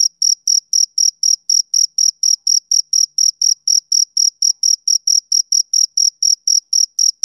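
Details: Rhythmic chirps from a male cricket, about four bright, high-pitched pulses every second, evenly spaced and unbroken against total silence.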